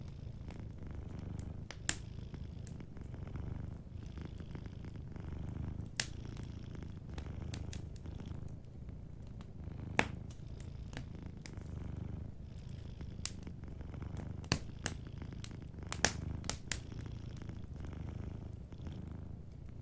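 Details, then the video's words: A cat sleeping by the fireplace purrs in a quiet low drone, while louder sharp crackles and pops from the burning logs punctuate the rumble every few seconds. "Warm Fireplace Ambience with a Sleeping Cat 🐱💤Fireplace & Soft Purring"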